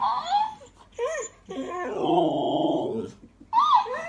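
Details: Female Alaskan Malamute indoors in a small room, holding a heated back-and-forth with a talking toy hamster. Short, rising-then-falling woo-like howls come in bursts, with a high, squeaky stretch of toy voice in between.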